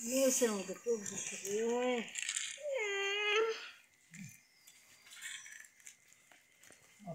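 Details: Sick cat being given treatment by madrasa schoolgirls indoors: several drawn-out, rising-then-falling distressed meows in quick succession, then quieter scuffling and children's voices urging each other to hold it.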